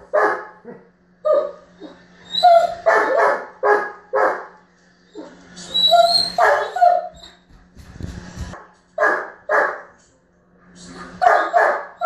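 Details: A German Shepherd throws a frustration tantrum because his ball went under the bed, barking in loud, insistent bursts mixed with whiny yips.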